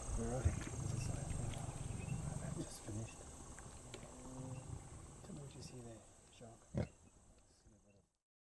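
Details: Lion at night in Kenya's Mara conservancies, approached closely by a vehicle: deep, low rumbling pulses in a series during the first seconds, then fading, with human voices talking quietly and a steady high hiss.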